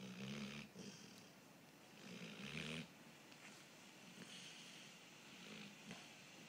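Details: Pet dog snoring: rough, low rattling snores, one at the start and another around two seconds in, each under a second long, over a steady hissy background.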